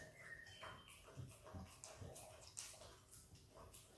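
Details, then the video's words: Wet, clicky lapping and chewing sounds come from a hungry, happy Australian Kelpie x Border Collie puppy named Izzy working at peanut butter, with short sharp smacks every half second or so. "Happy puppy dog licking peanut butter!! Dog licks & eats peanut butter ASMR!"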